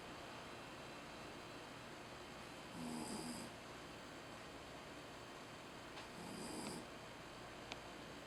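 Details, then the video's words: Tamao, a sleeping Jack Russell Terrier, gives two drawn-out raspy snores about three and a half seconds apart, each with a breathy hiss. A faint click follows the second snore against a steady low background hum. "いびきをグーグー、珠雄君 ジャックラッセルテリア Jack Russell Terrier"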